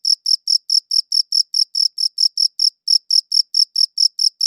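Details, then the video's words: Rapid, shrill cricket chirps, around four or five a second, captured with a high-quality audio recorder. The beat falters slightly near the middle, then carries on in a clean, quiet setting. "Cricket Chirping Sounds"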